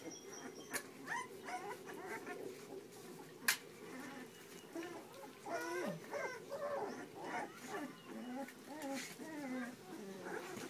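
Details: Puppies whimpering and whining, with short rising and falling squeaky cries in overlapping bursts, several voices calling over a low background hum.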